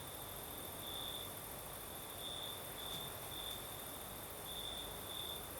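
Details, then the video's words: Crimean crickets sing on a southern night in a light breeze, sending out high, shrill trilled pulses in bunches about every half second to a second, layered over a continuous sizzling hiss. "Сверчки поют"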